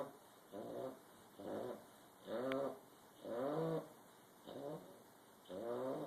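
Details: Bulldog snoring, with raspy, rattling breaths repeated about once a second, alternating between softer and louder draws against a faint steady hum.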